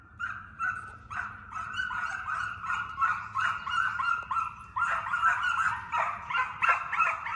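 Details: Hound pups, already running deer, are conditioned by chasing coyotes in an enclosed fox pen. A close pack bays in rapid, overlapping bursts of yelping, ringing cries, roughly three a second, and the chorus grows stronger in the second half.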